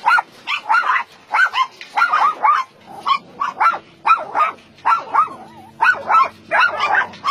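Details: Dogs barking at a combined dog meat farm and puppy mill in Nonsan, South Korea, January 2017, about 150 animals held together: clear, pitched barks repeated roughly twice a second in steady bursts, with fainter barking behind.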